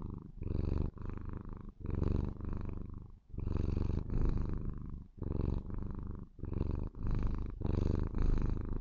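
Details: Relaxed white Maine Coon kitten Lilith gives a sweet, loud purr of affection toward her owner, low rumbling bursts repeating with each inhale and exhale, separated by short soft pauses.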